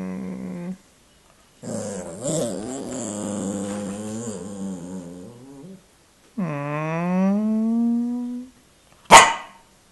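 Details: Pet dog Indy, eager to play after eating, gives long, modulated growling moans, then a smooth rising whine-howl, followed by a sharp click near the end; quiet indoor setting.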